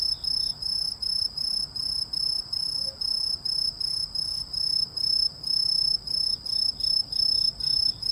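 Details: Shrill insect song, cricket or grasshopper uncertain: about twenty high, metallic chirp bursts in eight seconds, evenly spaced and brief, over a soft steady background hiss.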